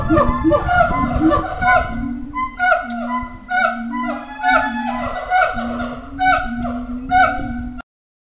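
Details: Howler monkeys at Twycross Zoo at feeding time, calling while staking out and defending their territory: loud overlapping moaning, honking howls with rich harmonics, rising and falling in bursts roughly every second, several voices layered together.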